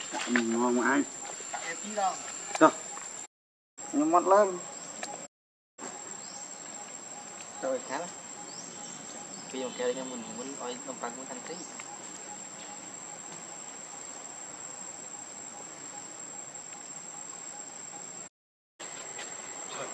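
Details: Baby monkey Leo Rainbow, hungry and angry, crying to beg its mother for milk: short wavering tonal wails in bursts early on and again near the middle, over a steady insect chorus with brief silent cuts.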